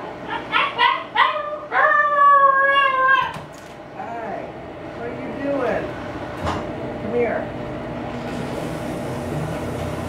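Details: A female Siberian Husky puppy, left alone inside while her owners set up a yard sale outdoors, gives quick high yips, then a thin, wavering howl that slowly falls; her first howls, apparently wanting to join them.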